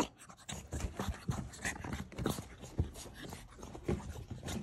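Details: Male blue French Bulldog puppy breathing heavily in low, grunting pants and snorts, irregular huffs roughly every half second, a faint scratch in the room, just before a woman's voice calls him a precious boy.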